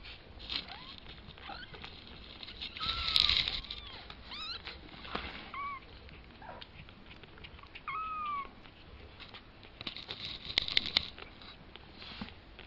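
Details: Kitten, two weeks old, learning to walk, squeaks out short curved mews with stacked harmonics, interspersed with sharp clicks, scratching and bumps as it moves about.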